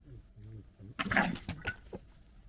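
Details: Foxes gekkering, three littermates from 2021: low throaty growls give way to harsh, rasping staccato chatter as they fight and squabble.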